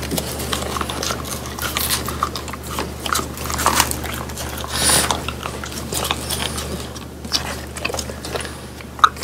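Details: French Bulldogs chewing crispy dried whole quail with bones, three dogs eating indoors; steady wet crunching and biting, dense irregular clicks and cracks throughout with one sharp crack near the end.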